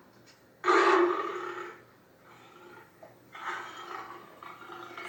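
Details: Leopard (Panthera pardus), roar.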